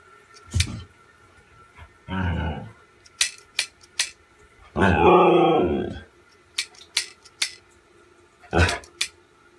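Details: Siberian Husky indoors giving two drawn-out, wavering howls of one to one and a half seconds, rich in harmonics, separated by sharp clicks and knocks in a small room.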